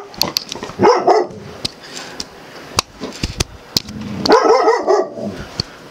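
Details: Puddy, an Australian Cattle Dog mix, reacting to his reflection in a mirror and camera lens, lets out two bursts of tense, wavering yips and bark-like whines, around one second and again near four seconds, with sharp clicks between.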